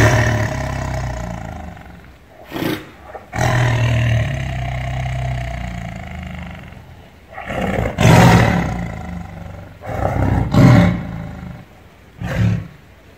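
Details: Tiger growling loudly: low drawn-out rumbles broken by short sharp bursts, then a cluster of harsh roaring pulses, growing rougher toward the end.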